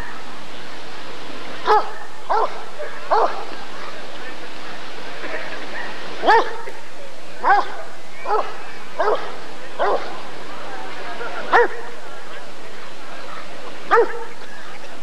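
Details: At the 1994 ADRK Körung, a Rottweiler breed survey, a dog gives a long irregular series of short, sharp barks, some in quick pairs and triplets, against a low hum and background voices.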